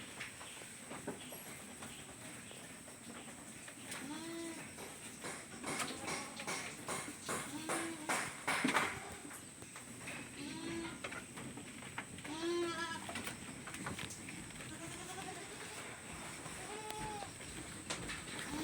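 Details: Several farm goats give short, wavering bleats at irregular intervals of two to four seconds, some overlapping, against a steady low background hum and faint human voices.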